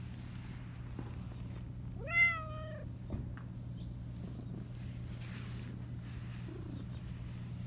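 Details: Talkative black Persian cat giving one high-pitched meow that rises and then slides down, lasting under a second, followed by quiet with a constant low background hum and a faint distant sound.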